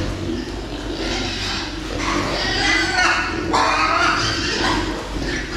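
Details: Meat pigs kept on a farm for fast growth, a noisy pen of overlapping grunts and high squeals, several brief sharp squeals near the middle, steady background commotion.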